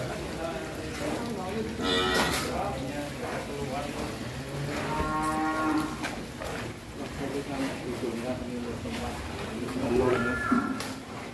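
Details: Bull cattle named Leo, an energetic monster from Putra Mulia, raging as it leaves its pen for the first time; several deep, harmonic moos swell and fade across eleven seconds amid handling noise and nearby voices.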